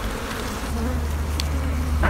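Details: Wild honey bee colony long nested under an abandoned sofa overgrown with vines, disturbed while the nest is opened; steady low droning hum with faint overtones throughout, a brief metallic clink near the end.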